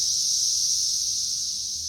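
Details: Periodical cicadas swarming a tree in May 2024, third week of their emergence: a steady, dense, high-pitched droning hiss that holds unbroken throughout, with a faint thin tone underneath.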